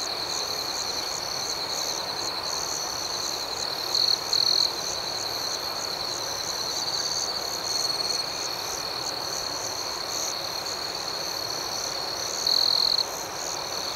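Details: Nighttime crickets fill the air with a continuous shrill, pulsing trill, broken by a few short louder chirp bursts scattered through; the background stays otherwise quiet.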